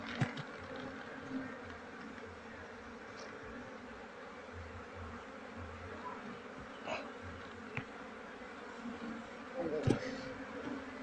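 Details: Honey bees from a wild colony being moved after smoking, their combs scraped from under a cupboard indoors: a steady low hum with faint pulsing throughout, occasional scraping clicks and knocks.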